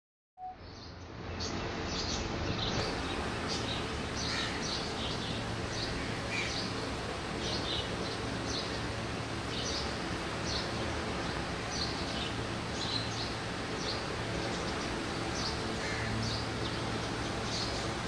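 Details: Disturbed honey bees give a steady, dense, droning buzz, with faint high chirps flickering above it.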